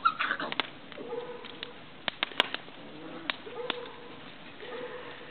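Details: Romanian Carpathian Shepherd Dog puppies, 38 days old, giving soft drawn-out whines that hold a level pitch. Three separate whimpers come roughly a second or two apart, mixed with sharp clicks, taps and shuffling.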